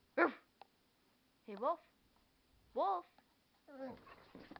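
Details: American Staffordshire Terrier and pit bull mix talking back to its owner with odd vocal noises: three short rising-falling yelps spaced about a second apart, then a longer wavering whine, quiet room otherwise.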